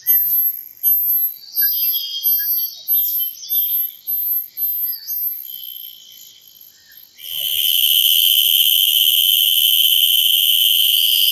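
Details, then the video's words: Cicada sounding in quick, evenly spaced high buzzy pulses for about seven seconds, briefly dropping off, then bursting into a loud, continuous shrill drone to the end. "Cicada makes sounds"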